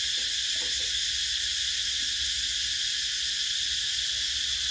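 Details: In summer, cicadas keep up a loud, shimmering high-pitched drone with a slight pulsing texture and no pauses.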